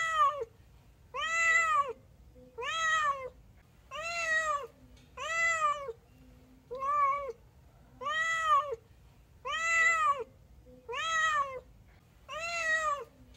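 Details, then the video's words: Obligate carnivore, the domestic cat, meowing insistently: about ten evenly spaced arched meows, each rising then falling, repeated roughly every one and a half seconds with little other sound. "Obligate carnivores animal cat sounds & meowing voice"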